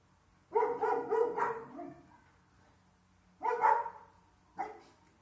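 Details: Two Dalmatians, a mother and her daughter, greeting the arrival of their owner's car at home with excitement: bursts of loud, harmonic yelping barks, a rapid cluster followed by two shorter calls after a pause.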